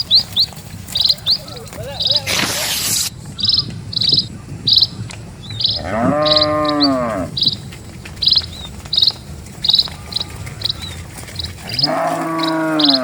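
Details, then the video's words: Several dozen cattle walking slowly along a peaceful country road. Two deep, drawn-out moos, one midway and one at the end, each curving downward. A short burst of broadband noise comes early, and steady high bird chirps continue throughout. "SUARA SAPI"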